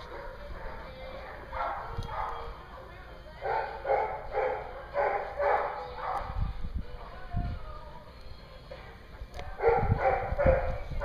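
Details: Dogs at a dog daycare in Hooksett, New Hampshire, recorded April 21, 2016: bursts of sharp barks in quick runs, loudest in two clusters, with low thuds and knocks between them and a steady electrical hum underneath.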